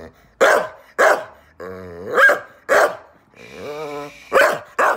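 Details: A female Staffordshire Bull Terrier x Rhodesian Ridgeback rescue dog, born 2012, on a sofa indoors, mixes sharp barks with drawn-out, rising, whining howls, singing for attention and telling her owner off when laughed at.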